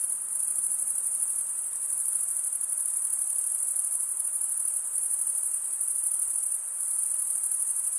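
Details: Male crickets stridulating in a continuous chorus, a bright high-pitched pulsing shimmer sustained the whole time with only slight dips in loudness, over a faint low background hiss.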